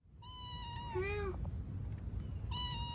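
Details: Domestic cat meowing: a long tonal meow with a bending pitch near the middle, then a second meow starting about two seconds later. A steady low hum runs underneath.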